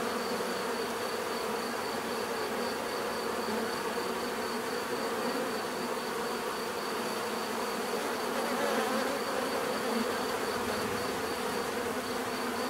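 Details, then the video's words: Dense natural bee buzzing, a rich continuous drone with many overlapping hums, gently fluctuating bands and a faint high whine throughout, swelling slightly near nine seconds, with no other animals or voices heard. "bees therapy relaxing natural buzzing sound"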